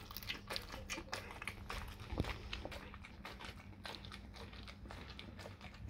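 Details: Raw cow tongue being bitten and chewed by a dog indoors, with sharp clicking bites and moist smacking at an uneven pace, one especially loud snap around the middle, and a low hum underneath.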